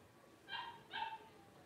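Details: A litter of five blenheim Cavalier King Charles Spaniel puppies, 12 days old, born at New Year 2023 to Paris and Spike; two brief, bright, harmonic yelps follow one another within half a second in a quiet room.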